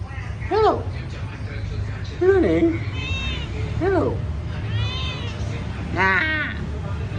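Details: Pet cat answering a person who keeps calling hello: short arching meows repeated about every one to two seconds, interleaved with the person's voice and a low background hum.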